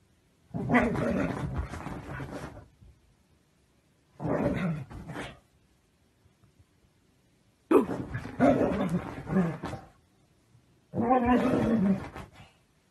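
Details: Siberian Husky, a pet dog, producing four harsh, noisy grumbling bursts, each lasting one to two seconds and separated by silence, rough and growl-like rather than tonal.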